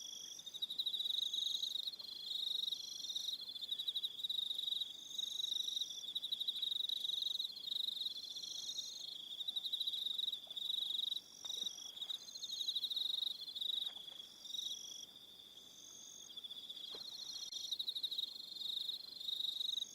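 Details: Evening sound of crickets on New Zealand's Aroha Island: unbroken high, buzzy pulsing trills from several callers, higher voices entering in short bursts, with a few faint clicks.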